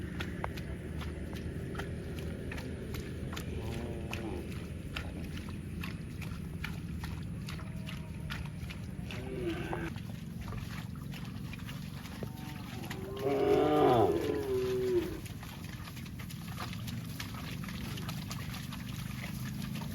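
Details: Cow mooing: after a long stretch of steady low rumble and faint ticking, a single loud, tonal call with rich harmonics rises in at about thirteen seconds and holds for roughly two seconds before fading.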